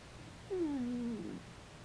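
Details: Sleeping Dachshund that has begun to snore at times, sometimes giving a drawn-out 'kuu' whimper the owner likens to a pigeon: a single smooth tonal whine, starting higher, dipping, then holding level for almost a second, in a quiet room.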